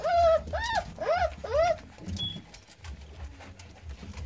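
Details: Four clear, arched squeals from newborn American Staffordshire Terrier pups born 9-6-17, each rising and falling quickly, followed by a quiet stretch with only soft rustling.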